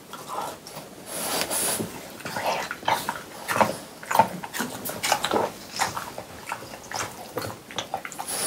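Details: Three indoor French Bulldogs eating watermelon on a hot summer day, recorded as close-up ASMR: wet, smacking chews and slurps come in quick irregular bursts, with short crunchy clicks between them.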